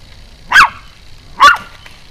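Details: Pomeranian jumping and barking, filmed 4 June 2012 in the evening: two sharp, high yapping barks about a second apart, with a faint steady hum underneath.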